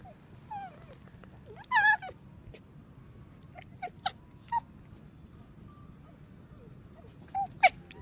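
A fox gives short, sharp yelping barks, scattered irregularly over a quiet background.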